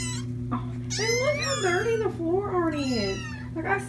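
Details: Feral kittens being socialized indoors, screaming loudly in the morning: a run of overlapping wavering, harmonic-rich cries rising and falling over about three seconds, with a steady low electrical hum underneath.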